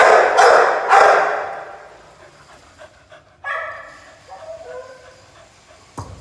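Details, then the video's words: Pit Bull puppy at play: two loud barks open, then a higher, tonal whine-like yip rises and trails off, followed by quiet and a soft thud at the end. "Pitbull puppy playing"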